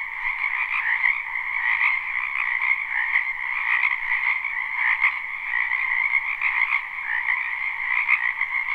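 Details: Wetland frogs calling en masse in spring, recorded live with no looping; a thick, even chorus of trilled croaks, a few sharper individual notes poking out above the steady hum.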